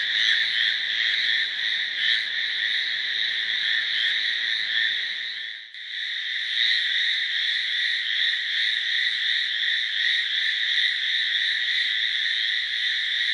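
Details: A chorus of Hallowell's tree frogs makes a loud, continuous grating buzz with quick pulses. There is a brief lull near the middle, then the calling resumes just as strongly.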